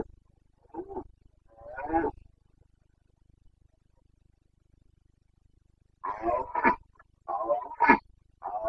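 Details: Rutting Carpathian stag roaring (boncănit) in Bucovina's mountain forests, Romania, late September 2022. Two short groaning bellows, a long pause, then a run of harsh, throaty roars broken by sharp grunting peaks.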